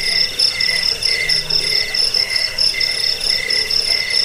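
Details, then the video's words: Cricket chirps, piercing and high, come in clear rhythmic bursts about every half second above a constant background trill. A brief low hum sounds near the start. Described as a sound to drive off rats and lull listeners to sleep. "Suara jangkik pengusir tikus pengantar tidur"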